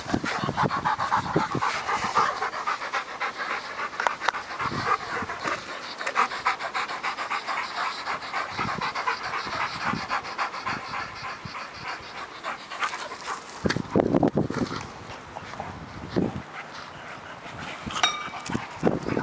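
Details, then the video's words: Working Mastiff pup Nobi (10 months) and bull terrier Tasha (8 years) chase each other for a stick. Fast, heavy panting runs steadily, broken near the end by a few louder growls and scuffles. "2 dogs fighting over a stick"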